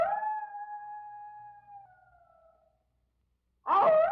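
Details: A wolf, apparently missing its younger sibling, gives a long, steady howl that sags at the end, then starts another louder one.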